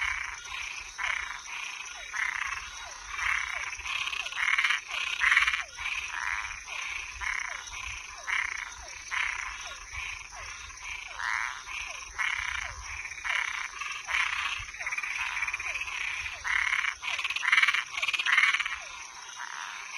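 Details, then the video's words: Frogs and tree frogs at night form a dense, uneven chorus: raspy croaks and short falling chirps tumble over one another for twenty seconds, some louder bursts standing out, above a steady high buzzing background. "Som de animais noturno Sapo e perereca"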